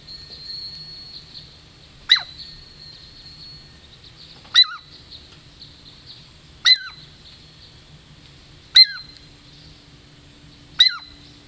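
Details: Girl Squirrel, a Douglas squirrel of the Puget Sound lowlands, approaching for a treat; five sharp, high whistled calls, each dropping quickly in pitch, spaced about two seconds apart over a faint low hum.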